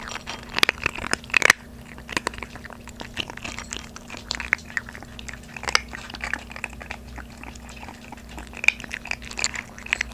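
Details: Two 3.5-month-old Maltese puppies, a female and a male, eat dry kibble for the first time after previously eating soaked food; sharp, rapid crackles and clicks are scattered unevenly as they chew.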